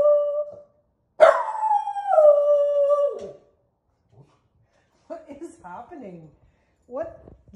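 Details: Miniature poodle howling indoors after hearing neighbor dogs barking; one long falling howl held for about two seconds, followed by softer wavering whines and a person's voice.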